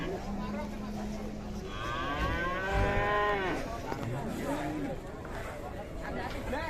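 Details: Agitated cow coming off a truck, giving a drawn-out, wavering moo with strong harmonics after a steady low hum, amid crowd noise and background chatter.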